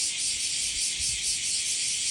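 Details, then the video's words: Many kuliglig, cicadas or crickets, sing together in the morning at Aikawa, Osaka. Their chorus is a continuous, dense, shrill high-pitched buzzing drone that holds steady without breaks, with only faint low rumble beneath. "Parinig ko po sa inyo dahil po sama ngayon, siyempre maraming kuliglig. Pakinggan nyo naman po ang nakakalibang na kuliglig. Ayan."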